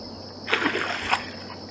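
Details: An American alligator slaps its head on the water in the morning at Circle B Bar Reserve while alligators feed: a sharp, broad splash lasting under a second, with a steady high insect hum throughout.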